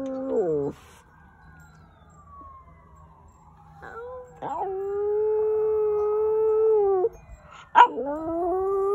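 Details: FOX, a pet dog recorded in March 2020 practising howls, gives a short falling cry, a long slowly descending tone, then a steady drawn-out howl lasting about three seconds and a final yelping howl.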